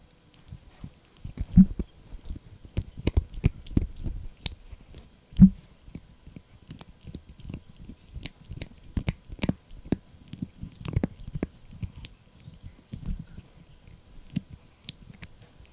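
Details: Indoors, the Yorkie puppy Blue crunches through a dried bunny ear, loud sharp bites and tearing crackles in uneven bursts, roughly sixteen strong chomps a minute against near silence.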